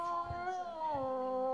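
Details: Indoors, Lily the boxer dog whines in a tantrum over her dropped ball. One sustained, tonal whine glides slowly downward in pitch for under two seconds, and a person speaks softly underneath.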